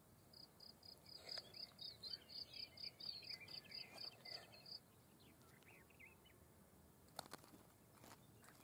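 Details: Field cricket (Gryllus campestris) singing: a run of shrill, pulsed chirps on a steady high pitch, about three each second for roughly four and a half seconds before falling silent; faint bird calls and a low rumble of background noise.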